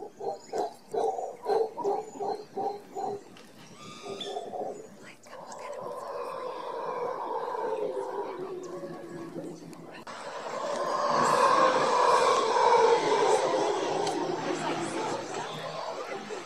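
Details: Howler monkeys near a condo balcony in Guanacaste, Costa Rica, at morning: rhythmic pulsed grunts give way to a long, rising, sustained roaring chorus, with faint human speech beneath.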